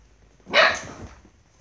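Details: Dobermann puppies at play in a kennel house fitted with varied flooring, a heat lamp, dog bed and outdoor run. One sharp, high yipping bark lasts about half a second and fades into a quiet room.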